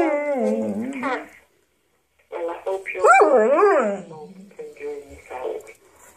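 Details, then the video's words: Domestic dog talking to answering machine messages indoors, giving a descending whine, then bursts of wavering, yodelling howls over a recorded human voice. "Dog talking to the answer phone"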